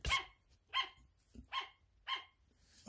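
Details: Sugar glider barking: four short, sharp yapping barks spaced roughly two-thirds of a second apart, bright and harmonic, in a quiet indoor setting.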